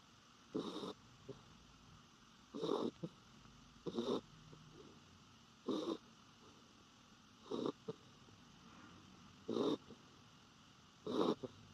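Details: Norfolk Terrier asleep with its face turned toward the recorder, an unusual sleeping position, snoring: short rough rasping snores in a steady rhythm, roughly every one and a half to two seconds, over a quiet room hum.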